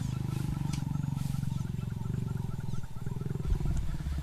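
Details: Mating lion pair, the male approaching a willing but sometimes unkeen lioness: a continuous low rasping growl made of rapid regular pulses, steady for about four seconds with slight rises in loudness.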